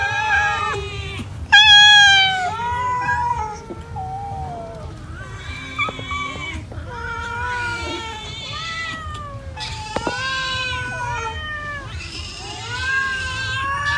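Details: Several cats eating rice give overlapping harmonic meows and drawn-out wails, some rising then falling, calling one after another with little pause; a low steady hum runs underneath.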